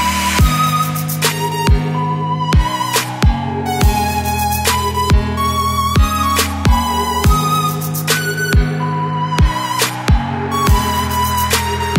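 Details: Electronic music with a heavy, regular beat and a sustained melody fills the clip, with no animal sound.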